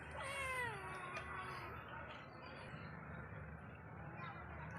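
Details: Pet cat calling out of affection and love: one clear, rising-then-falling meow near the start, followed by quieter murmuring and a softer trailing sound, with low room hum underneath.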